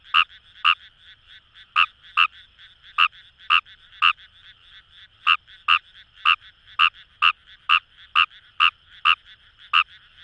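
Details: Fejervarya kawamurai in rice paddies along the Kamo River, Itoshima, Fukuoka Prefecture, Japan. A nearby frog gives brisk, clipped croaks about twice a second, sometimes paired, against a continuous murmuring chorus of other frogs.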